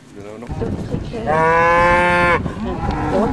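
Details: A bull on a farm on the Welsh Borders gives a single long, loud bellow with a steady stacked tone lasting about a second, after a rustling lead-in; a man speaks nearby.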